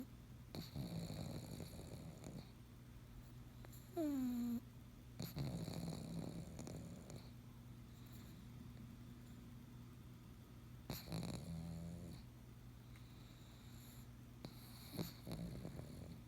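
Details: Pug snoring indoors, with rough, low, rasping breaths in bursts a few seconds apart and a brief squeaky whine partway through.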